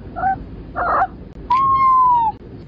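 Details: Pet cat in a home, talking with its owner, who asks it to meow once more; short muffled mews, then a clear drawn-out meow holding a steady pitch for almost a second before easing down.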